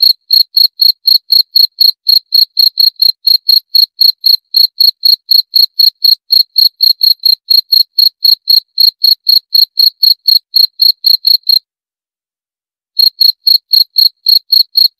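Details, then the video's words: Long, regular series of high cricket chirps at about four per second, each with a thin ringing overtone, pausing briefly around eleven seconds in before the same pulsing rhythm picks up again; background otherwise silent. "7 Menit Suara Jangkrik - 7 Minutes Cricket Sound Effect"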